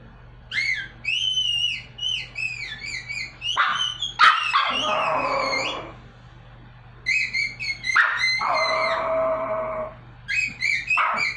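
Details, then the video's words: A little Pomeranian dog trying to sing: high, wavering yelping howls in short bursts that rise and fall, broken by sharp clicks, with a lower sustained tone running underneath through the middle section. "The Little Pomeranian Dog that Tries to Sing"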